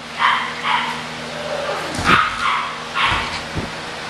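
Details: Kennel-raised English Bulldog puppies give a few quick, high yaps, interrupted by a couple of dull thumps and a low background hum.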